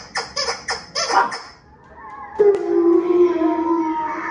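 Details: Winston, a Shih Tzu/Pekingese dog watching TV at home, howls along: after a run of short squawky bursts from the TV, a sustained mid-pitched howl with clear overtones starts halfway and holds steady for about two seconds.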